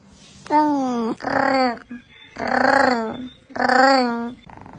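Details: Domestic cat giving a series of drawn-out, harmonic meows, each about a second long with short gaps, in a small indoor room.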